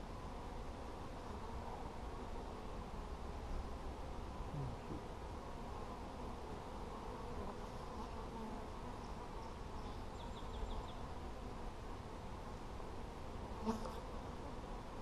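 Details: Honey bees in a hive being checked on 17 July 2020, giving a steady, low, droning hum that holds evenly throughout, with faint scattered clicks and handling noises over the continuous buzz.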